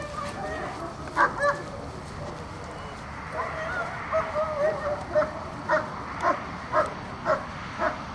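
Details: German Shepherd Azzo during an IPO1 obedience test run, giving short harmonic barks in a quick series over the second half, about two per second, with a man speaking in the background.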